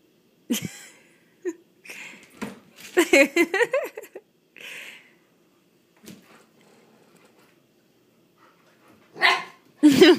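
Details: Puppies at play, named Willow and Coda, giving sharp yips and short barks in scattered bursts, with a dense cluster of squeaky, rising-and-falling yelps in the middle and a few loud barks at the end.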